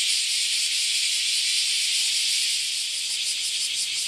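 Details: Loud chorus of many cicadas around a farm house in Japan, a continuous high-pitched buzzing wash with a rapid pulsing texture that grows more distinct toward the end.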